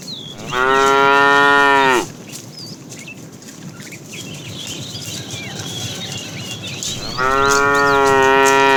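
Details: During an afternoon drive of a tame cattle herd, a fat cow calls the female with two long, loud, steady moos about five seconds apart, each lasting roughly one and a half seconds, over a chorus of twittering birds.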